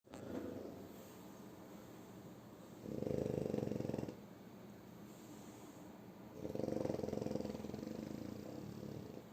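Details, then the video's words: A sleeping French Bulldog named Shturm snores again: two long, rasping, low snores, each about a second or more, separated by a few seconds of quieter breathing, indoors. "Французский бульдог Штурм Храпит Опять"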